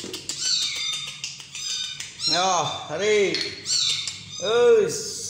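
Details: Small kitten during hand-feeding, human talk first, then three lower, arching meows about one second apart, each rising and falling smoothly.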